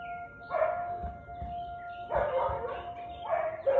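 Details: Siberian Husky barking on 13 March 2021 at 4:17 pm: four short, harsh bark bursts at irregular intervals over a steady, ringing tonal hum.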